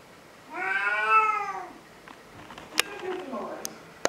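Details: Cat giving one long drawn meow lasting about a second, rising then falling with rich harmonics, indoors, followed by a person speaking and a few sharp clicks.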